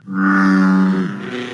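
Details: An American bullfrog calls in June, giving a deep, droning, rich-toned "jug" lasting about a second, then trailing off lower.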